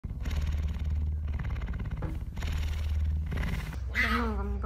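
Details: A male pet cougar (puma) gives deep, rumbling growls and snarls in bursts, guarding a stolen bag of soup meat he is eating at home, with people talking nearby.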